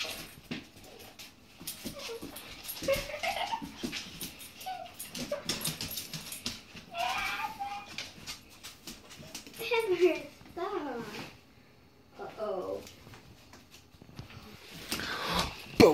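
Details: Rhodesian Ridgeback, a female dog, giving short high whining whimpers with wavering, rising and falling pitch in several bursts, mixed with clattering knocks and a person talking nearby.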